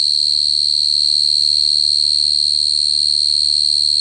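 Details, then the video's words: Close cricket song: one sustained, piercing high trill at an even pitch, slightly pulsing in loudness, with no break and a faint low hum beneath. "Cricket sound effect(cricket sound)"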